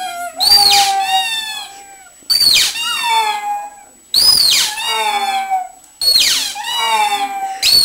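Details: Bessy the pug howls for her toy: four loud, tonal, whining howls, each opening high and sliding down into a long wavering wail, about two seconds apart with short pauses between.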